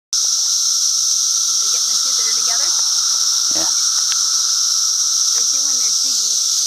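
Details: Periodical cicadas of the Brood XIV emergence, out in force at Foster Joseph Sayers Lake in Bald Eagle State Forest, Pennsylvania: a steady, unbroken high-pitched droning chorus with a lower hum beneath, while people talk briefly over it.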